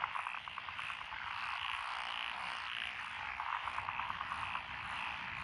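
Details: Frogs in Echizen, Fukui lotus paddies, 12 June 2021, with several tree and pond frog species. A nearby frog gives rapid pulsed croak trains of about a dozen beats, once at the start and again after three seconds, over a constant chorus.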